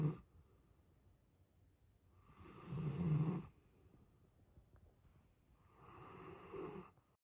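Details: A giant male Alaskan Malamute snores loudly while sleeping, each deep rasping breath swelling and fading every few seconds.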